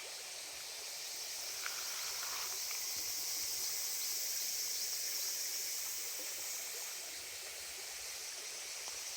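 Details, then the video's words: Cicada chorus beside the Genka River: a thin, high, continuous buzz swells in the middle and then fades back, with rushing stream water underneath and a few brief clicks early on. "The sound of cicadas gives a refreshing feeling!"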